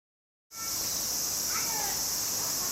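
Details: Cicadas singing loudly in summer on the outskirts of Tokyo, Japan, early August: a steady, dense high-pitched buzzing drone fills the air after a brief silence, with faint bird chirps sliding through the middle.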